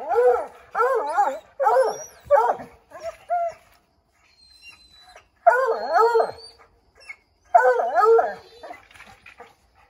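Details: Several Redbone Coonhounds barking and howling at a chipmunk up an oak tree, trying to drive it out; bursts of short bays and barks, then a quiet gap, then two more drawn-out wavering howls a couple of seconds apart.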